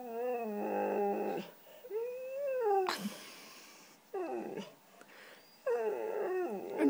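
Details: White female Siberian Husky 'talking' while asking for cheese doodles: a string of long harmonic howl-like moans and rising, falling yowls broken by short gaps, with a burst of rustling noise midway.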